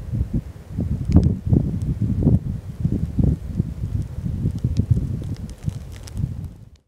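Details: A fallow deer buck in rut in the Amsterdam Waterleidingduinen dunes, where bucks fight, gives deep, belching groans, low and rough, in quick repeated bursts.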